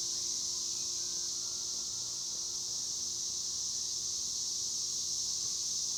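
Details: Cicadas, called chicharras, keep up a constant shrill high-pitched buzz, unbroken and level across the whole stretch, over faint low-frequency background noise.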